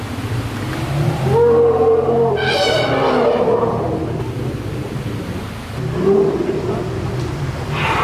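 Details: Elephant cows around lead cow Indra enter their redesigned outdoor enclosure in the Dschungelpalast for the first time, giving a brief bright trumpet blast amid steady low rumbling and scattered shorter tonal calls.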